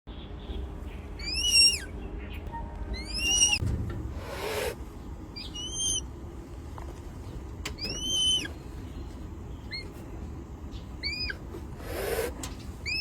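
A red panda gives short, high, squeaky chirps in quick bursts of two to four notes.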